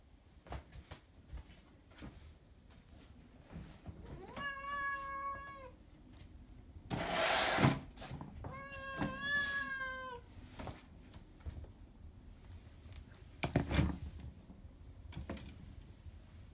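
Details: Two indoor tabby cats around mealtime while healthy food is prepared; two clear harmonic meows, the first steady, the second rising then falling, with a loud broadband clatter between them and soft kitchen knocks and clicks.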